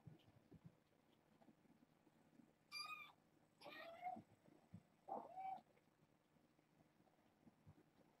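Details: Insistent morning meowing from young foster kittens trying to get past a fence to explore: three drawn-out meows in quick succession, the first high and clear, the later ones sliding downward, over faint indoor background noise.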